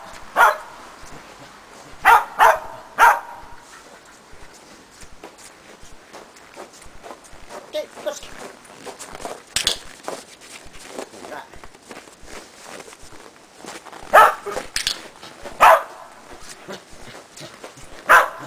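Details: Shetland Sheepdog in agility training, working a box with a jump grid as a running-contacts foundation; sharp, short barks, singly and in quick pairs, about seven in all, with footsteps and quieter movement between.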